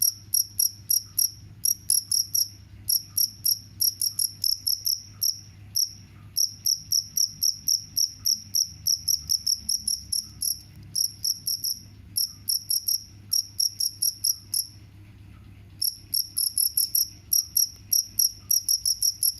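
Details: A cricket, said to keep mice away, chirps in fast trains of sharp, high pulses. The trains are separated by irregular pauses, including a longer silence past the halfway point, over a quiet low background hum.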